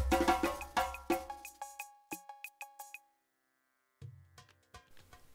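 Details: Plucked, percussive music with ringing tones and no animal sounds.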